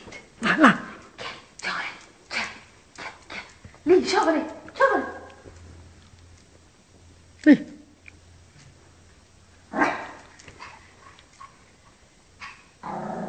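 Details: Shih Tzu named Chocolate, a pet indoors, defending its territory against dogs appearing on television: sharp, separate barks at irregular intervals, some in quick pairs, over television voices and background sound.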